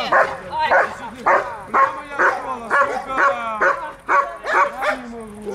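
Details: German Shepherd in guard and protection training for service dogs, guarding its owner, in Dyukovsky Park, Odesa, on 9 July 2022. It gives loud, sharp, rapid barks about twice a second, with a few whines and people talking.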